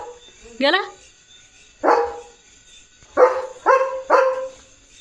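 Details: Leo, a German Shepherd roaming his field, gives five sharp barks, the first sliding upward into a yelp, the rest short harsh bursts spaced about a second apart, with a man's voice talking nearby.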